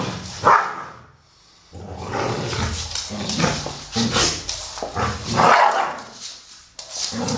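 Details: Amstaffs Solo, a 12-year-old brown male, and Shaya, a grey female of 1 year 8 months, at play; rough growling and a few sharp barks after a short quiet gap.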